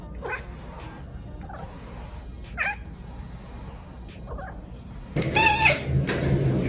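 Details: Cat (Felis catus), meow.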